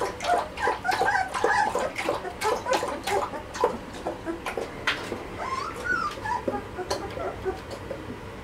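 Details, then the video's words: Malinois puppies of a litter at two and a half weeks old whimper and squeak, many thin overlapping yips and whines in quick irregular bursts, with a few rising whistled whines and occasional soft rustling. "B-Litter 2,5 weeks old"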